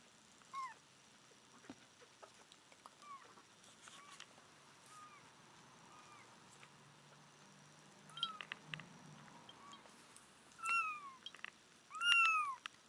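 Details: A mother cat, rescued two days before giving birth, calls back her nine-day-old kittens after weighing on July 23, 2011. Faint scattered mews are followed by two loud, clear, arched meows near the end.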